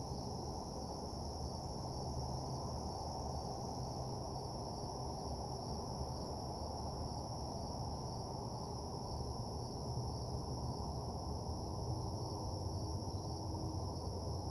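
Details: A nighttime chorus of crickets gives a level, sustained high-pitched trill with no gaps, laid over a steady low-frequency drone in a parking lot ambience.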